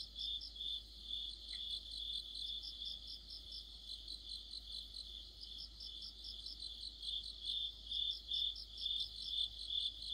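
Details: Crickets and other insects singing together in deep autumn: a steady high chirping pulse about two to three times a second, with fainter, higher beaded trills layered above and a low hum underneath.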